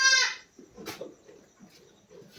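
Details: Goat on a farm where a doe has just given birth: one loud, harmonic, nasal bleat in the first half-second, followed by quiet shuffling and faint murmuring.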